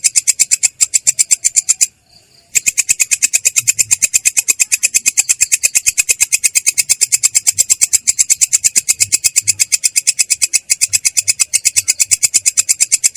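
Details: Rolling 'ngerol' stridulation of a belalang kecek katydid, clear but rough: rapid regular rasping pulses, a short break after about two seconds, then an unbroken buzzy run to the end.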